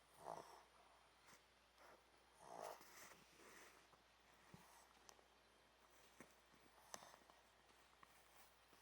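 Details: A Pomeranian snores while asleep on a hot dog cushion: soft, breathy snores at irregular intervals, the clearest near the start, followed by faint quieter breaths and small clicks in a calm indoor setting.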